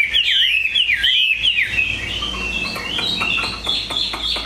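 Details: Caged, tame Chinese hwamei, a big bird with an excellent voice, singing loud, looping whistled phrases that swoop up and down before settling into sustained high warbling.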